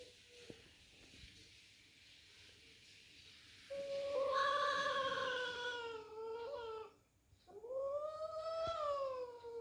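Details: Angry domestic cats fighting indoors: a long rising-and-falling caterwaul swells loudly for about three seconds, breaks off briefly, then resumes as a second wailing yowl that climbs and sags.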